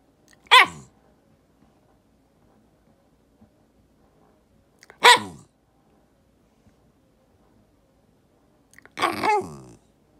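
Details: White Shiba Inu dog indoors, complaining and protesting in 'dog language': three sharp, short barks spaced about four seconds apart, the last one doubled into a quick two-part yap, in an otherwise quiet room.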